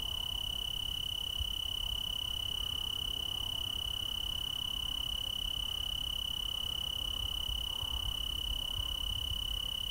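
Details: Tree cricket chorus in the Willamette Valley, Oregon: a single unbroken, pure, high ringing trill holds steady throughout over a rumbling, noisy low background.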